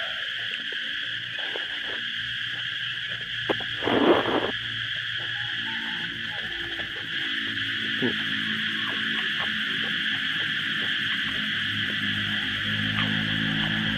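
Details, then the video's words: Cicadas singing loudly all around in Thailand during a rainy spell: a dense, unbroken high buzzing drone that holds steady throughout. Scattered clicks and taps are heard, with a brief loud broadband burst near the four-second mark. "เสียงจักจั่นนี่ร้องดังดีจริงๆนะฮะ"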